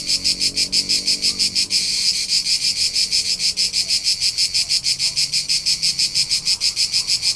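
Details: Summer cricket chorus from Tuscany's rolling hills in central Italy, a shrill, evenly spaced chirp pulsing roughly three times a second, with a brief blurred stretch near two seconds and quiet low rumble beneath.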